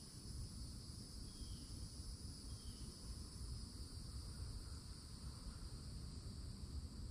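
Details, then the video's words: Cicadas at a Florida forest edge in summertime, perched in an old oak tree: a steady, high, unbroken shimmering drone in several layered bands, over a deep rumbling background with a couple of faint bird chirps. "*CICADA SOUNDS* | Summertime at the Edge of the Forest"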